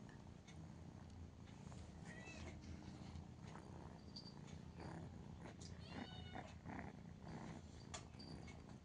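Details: Pet cat named Mia purring steadily while settling to sleep beside its owner, who had been pulled over by the hand; a continuous low rumbling purr runs throughout under soft speech and small clicks.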